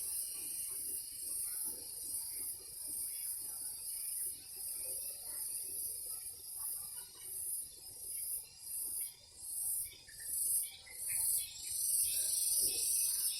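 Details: Cicadas calling in the morning in a garden: a high, shrill, hissing drone pulsing about four times a second, the pulses growing deeper and more separated toward the end as the insects alternate and overlap.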